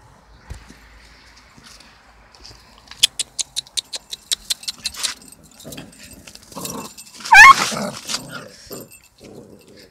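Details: Small dog attacking a much bigger dog: a quick run of about nine short, sharp clipped sounds over two seconds, then scuffling and one loud high yelp that bends in pitch, followed by quieter rustling.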